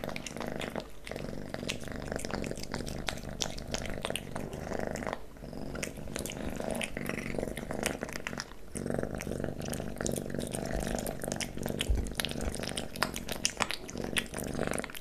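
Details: Kitten Leo feeding on pate and creamy cat treats, recorded up close; loud steady purr with busy wet licking and chewing, brief pauses around five and eight seconds.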